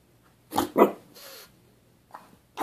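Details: Pug named Lenny, frustrated that the ball is not being thrown for him, giving two quick rough barks and a soft grumbling whine, then a pause and further short sharp barks, indoors.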